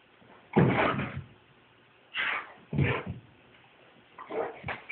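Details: Boxer named Brutus chasing a laser pointer indoors; three loud, broad, rough bursts come about a second and a half apart, with quieter scuffling between them in a small room.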